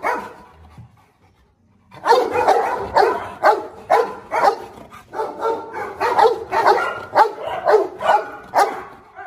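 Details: Presa Canario dogs in a pack where a lame dog king still marks territory and confronts rivals; after a short quiet start, loud harsh barks come in a fast, uneven run, several per second, without letup.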